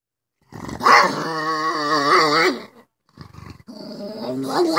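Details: Pet pug growling: a sustained, strongly harmonic rumbling vocalisation lasting about two and a half seconds, with wavering pitch, then a short pause and a second, quieter growl rising toward the end.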